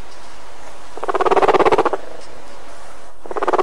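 A guinea pig gives a soft, fast-pulsed purr, a low rumbling burst lasting about a second, then starting again. This purring shows the animal is content and relaxed, a good moment for petting.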